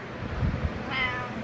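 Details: A domestic cat meowing while helping its owner with a workout indoors: one drawn-out, harmonic-rich meow, slightly rising then level, about half a second long, with a person's low voice praising it just before.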